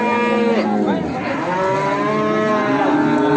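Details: A Pegon calf brought for sale at the Bekonang animal market, Sukoharjo, Indonesia, lets out a long, strained moo with rich harmonics, dipping midway then swelling again over about three seconds.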